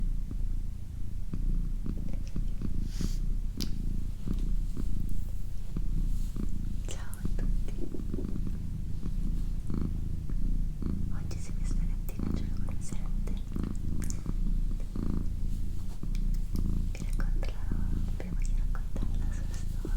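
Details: A female tricolour domestic cat, about a year and a half old (born April 2019), purrs steadily in a low, continuous rumble while a person whispers nearby.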